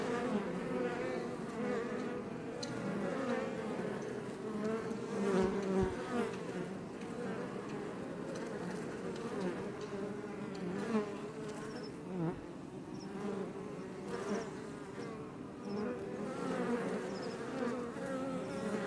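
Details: Western honey bees (Apis mellifera iberiensis) outside a Langstroth hive near Roquetes, south Tarragona, Catalonia, Spain, drone together in a steady, low, layered wing hum that swells and fades as individuals pass, recorded up close.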